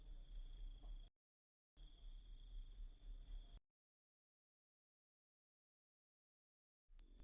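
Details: Two short bursts of high, trilling cricket chirps, a few pulses each, then silence for most of the remainder. The recording is used as masteran for teaching kacer birds.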